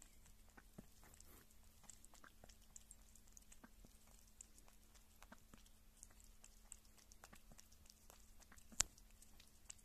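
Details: Indoors, a pet kitten eats and drinks: rapid soft wet clicks and smacks of chewing repeat steadily over a faint low hum, with one sharper snap near the end.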